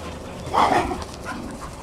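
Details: Playing dogs, including Border Collie x Kelpie littermates Maddie and Flynn, French Bulldog x Staffy Stella and occasional visitor Mack, a white Terrier cross: one short nasal whine-yelp peaking midway, then fading into quiet background noise.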